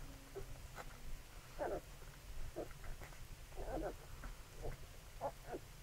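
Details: Labrador Retriever puppies nursing at their mother: short soft grunts and squeaky murmurs in scattered bursts, a few separate sounds every second or so, over a steady low hum.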